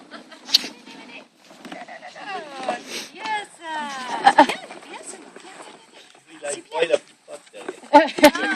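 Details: Five-week-old Labrador Retriever puppies playing in a garden give high, harmonic yips and whines that slide downward in quick bursts, with scuffling and short gaps between the calls.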